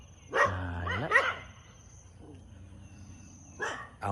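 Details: Local house dogs bark loudly at a pit bull being led past on a leash: two sharp, harsh barks near the start and another burst near the end, with a man's low exclaiming voice between them.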